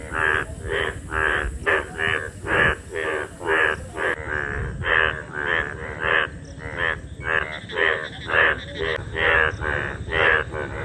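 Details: Indian bullfrog (Hoplobatrachus tigerinus), mating calls: courtship during the rainy-season breeding period.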